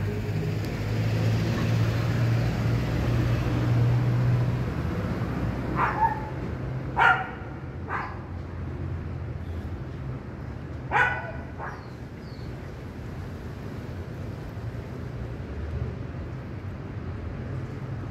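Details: A neighbor's dog barking after noticing a cat eating nearby: short sharp barks near 6, 7, 8 and 11 seconds over steady low traffic-like rumble.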